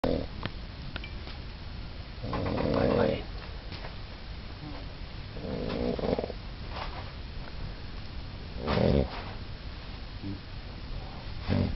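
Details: A pet dog snoring indoors: three breathy, rasping snores about three seconds apart, each lasting roughly half a second to a second, over a steady low background hiss.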